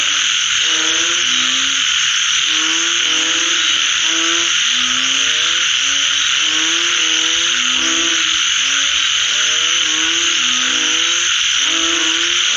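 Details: After rainfall, several frogs give rising, nasal croaks in quick overlapping runs, some callers answering one another, against a constant shrill high-pitched drone filling the background.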